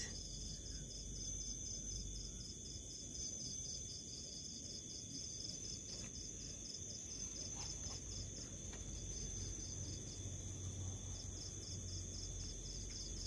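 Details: House cricket chirping with steady short pulses of about four per second. A thin constant high whine runs underneath, the pulses pause briefly near the end, and a low rumble continues throughout.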